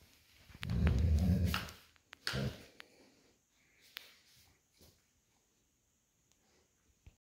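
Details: Old Golden Retriever lying on a cool tile floor after a walk, playing tug-of-war over a plush toy with an American Akita puppy: one low rumbling growl lasting about a second, then soft snorts, breathing and toy rustling indoors.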